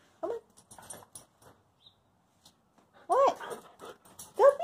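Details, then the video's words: Indoors after a walk and a bath, Covi the dog asks for the door to be opened with short arched whines and yips, three bursts spaced about one to three seconds apart. A person talks softly between them. "my dog says "open the door""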